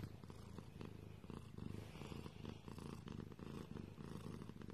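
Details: Pet cat purring close up, a dense low rumble that swells and fades with each breath in steady cycles, soft and continuous throughout.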